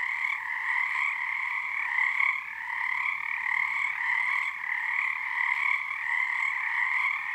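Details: Frogs at Frog Korner, Harstine Island, Washington, calling under a full moon, synchronising their tone into resonance; a thick, steady trilling chorus in two strong bands, with brief swells and one short dip near two and a half seconds.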